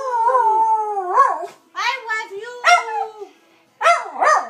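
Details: Dusty the Dachshund howls an affectionate "I love you" to his owner: a long wavering howl, then short rising-and-falling yodels broken by brief pauses, four phrases in total.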